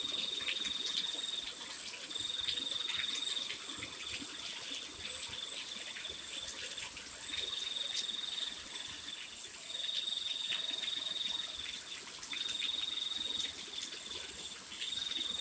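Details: Nighttime crickets in the rain trill in shrill pulsed runs of one to two seconds, returning again and again with brief silences between. Higher chirps are scattered through, and a steady rain hiss lies beneath.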